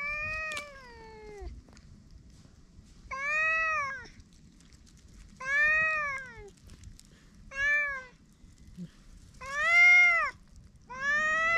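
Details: Stray cats with ears flattened, threatening, filmed on GoPro: drawn-out rising-then-falling meowing wails with strong harmonics, six calls spaced about two seconds apart, quiet low rumble beneath.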